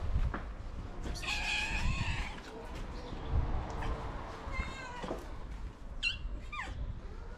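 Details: Feral tabby cat meowing to summon other cats for food; a drawn-out wavering meow, a softer middle call and two short sharp meows near the end, over low background rumble.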